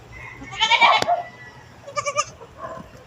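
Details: Playful goat in provincial farm life giving a wavering, harmonic-rich bleat of about half a second, then a shorter quavering bleat after a pause and a faint third note; quiet background with laughter nearby.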